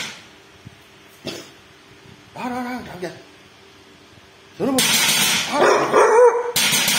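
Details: The dog Bull barks at a thief. Quiet human speech comes at first, then a run of loud, harsh, overlapping barks fills the last two seconds.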